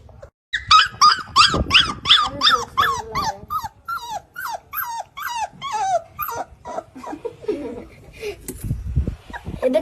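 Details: Labrador Retriever puppies teething and chewing on each other give a fast run of high, bending whimpers and yelps, about three per second. The calls fade after six seconds into low, rough growly noise.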